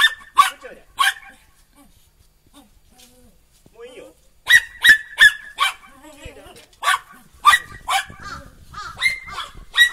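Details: Border Collie pups Kiwi, Mutta and Lemon, four and a half months old, romping energetically outdoors while it snows in November 2013; a pair of shrill barks, a quiet pause with soft sounds, then a run of rapid repeated yips.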